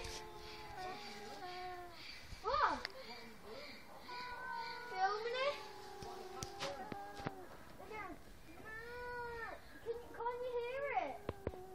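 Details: Two cats making odd, funny noises indoors: overlapping drawn-out, bending meows and warbling trills, some rising then falling, with a person speaking in the background.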